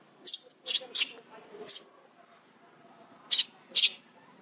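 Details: Baby monkey crying out as its unhappy mother bites it: six sharp, harsh, high-pitched shrieks in two bursts, four close together then a pause before two more, over a faint low hum.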